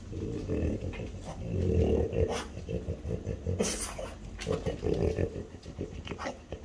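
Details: French Bulldogs, mother Ume aged five and daughter Roku aged four, being fed chicken breast: low, rough snorting grunts in uneven bursts, with harmonic rumbles and short breaths between them, plus brief sharp noises nearby.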